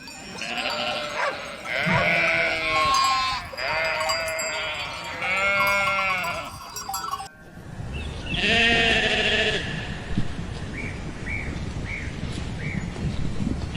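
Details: Sheep bleating: several long, wavering baa calls in the first seven seconds, then one more drawn-out bleat after a break, followed by faint short high notes.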